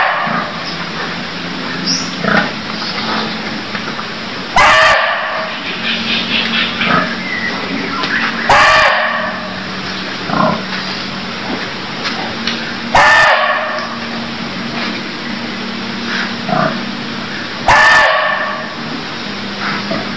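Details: A Cambodian barking deer calls again and again. Loud, abrupt barks come roughly every four seconds, four in all, each a rough, noisy burst. A low steady hum and a constant chorus of high chirps carry on underneath.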